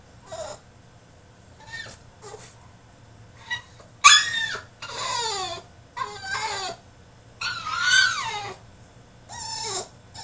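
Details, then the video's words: French Bulldog throwing a tantrum in his cage: a run of loud, high whining cries and yelps with sliding, falling pitch, several drawn out over a second, separated by short pauses over a low steady hum. "FRENCH BULLDOG THROWS TANTRUM IN HIS CAGE!!"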